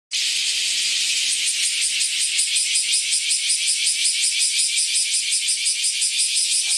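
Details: A cicada calling in the woods as summer approaches gives a loud, steady, high-pitched buzzing drone with a faint rapid pulsing throughout.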